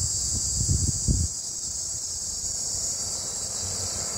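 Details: A cicada, sounding like a green cicada, gives a steady, high-pitched buzzing drone with a few low thumps early on; recorded in Đông Hòa ward, Dĩ An, Bình Dương, Vietnam, at 14:45 on 14 May 2024.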